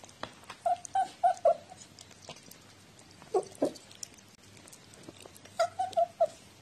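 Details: Chatty domestic cat, 14 October 2017; a quick run of four short chirrups, two lower grunting sounds midway, then another burst of short chirps, over faint tapping.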